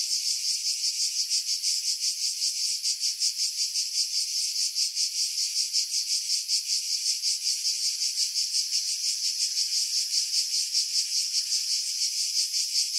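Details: Skiros Island cicadas, Greece, July 2018, among pines over Pefkos Bay: loud, relentless high buzz pulsing several times a second, sustained throughout with no birds or voices, wind buffeting edited out.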